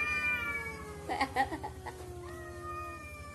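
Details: Cats vocalizing as if talking to each other: a sustained harmonic meow slides downward while several short scratchy bursts cut through it, then a second level, drawn-out meow follows.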